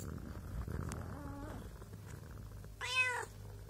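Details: Pregnant mother cat with two kittens: after a faint, thin whine, one short, strong harmonic meow near the end, over a low background hum.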